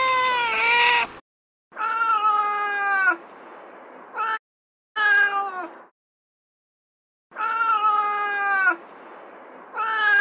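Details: Domestic cat in heat calling for a mate: long, drawn-out harmonic meows of one to one and a half seconds each, separated by short silences, with the pitch dipping slightly and then holding steady.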